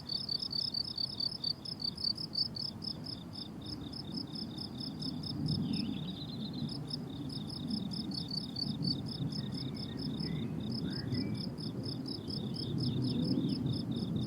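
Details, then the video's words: Crickets on a blooming summer meadow chirp in fast, high pulses, with a short gap in the chorus midway. A stronger low rumble like wind or distant traffic rises underneath, and a few thin bird whistles slip through. "Relaxing Cricket Sounds on a Summer Meadow"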